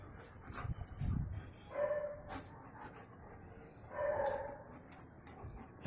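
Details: German Shepherd puppy in Salem giving two short, high, tonal whines about two seconds apart, against low rumbling background noise and handling sounds.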